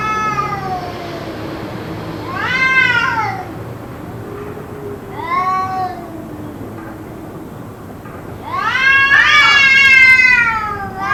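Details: Cats caterwauling during a possible fight lasting around two hours, with drawn-out arching wails, a short cry, then a long, loud, rich yowl near the end, separated by quieter low moaning and a constant hum.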